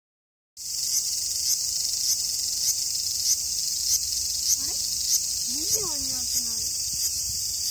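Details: A cicada in summer, Japan, produces a steady, shrill buzzing hiss that carries through the whole recording, pulsing faintly about every half second; near the end a person's voice briefly murmurs over it.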